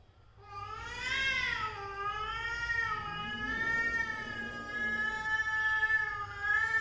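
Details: A cat family's mother and daughter: one sustained, nasal yowl runs almost unbroken for six seconds, swelling early, then holding a steady, slightly wobbling pitch to the end.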